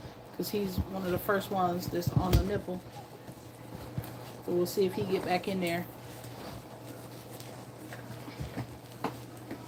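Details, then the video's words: Two-week-old puppies nursing indoors, giving short harmonic whimpers and squeaks in two bursts, near one second and again around five seconds, with wavering rising and falling pitch, then quieter rustling in a small room. "2 week old puppies nursing"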